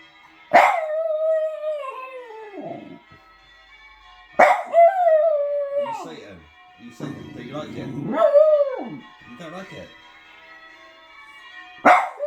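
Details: Zoomer, a little Jug dog, singing to ringing church bells with drawn-out falling howls after each bell stroke, while a woman talks to the dog between them.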